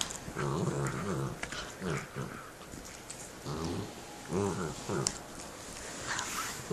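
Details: Two pet dogs chewing bones and growling at each other indoors; short, low rumbling growls come in several bursts amid crunching and scraping noises.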